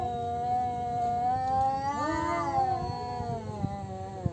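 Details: Two male cats contesting territory, a sustained moaning yowl that holds steady then bends upward and back down midway, with faint clicks underneath.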